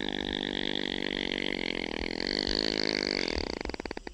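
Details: Opossum snoring: a sustained, droning, buzzy tone rich in overtones, with a steady fluttering pulse throughout, breaking into quicker separate pulses near the end.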